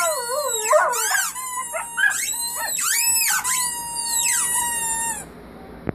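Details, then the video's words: A family of puppies howling together: several high, wavering voices overlap in sliding, arching tones that rise and fall, some quavering rapidly, forming a continuous chorus for about five seconds before stopping abruptly, followed by a faint click. "Family of puppies howling"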